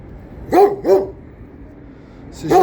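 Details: Older Kangal dog barking: two deep, harmonic barks in quick succession about a third of a second apart, a pause, then a third bark near the end; quiet background.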